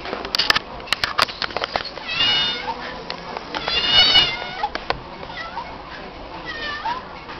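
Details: Female stray cat meowing in response to being called by name; two drawn-out, harmonic meows rise and fall, each about a second long, with sharp clicking taps earlier and quiet voices in the background.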